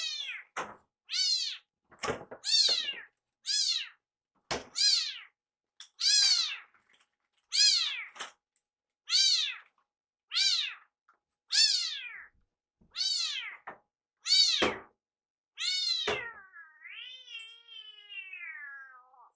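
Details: A rescued kitten named Iru calls "iru iru" over and over, urging his caretaker to hurry with his food. About thirteen quick, sharp meows come nearly once per second, then a longer, drawn-out descending wail closes the sequence.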